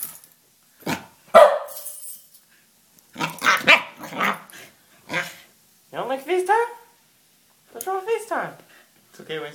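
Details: Two Pembroke Welsh Corgis (Canis familiaris) react to seeing themselves on an iPhone FaceTime call, giving sharp barks and drawn-out whining yelps while a person talks nearby and tells one to sit and get down.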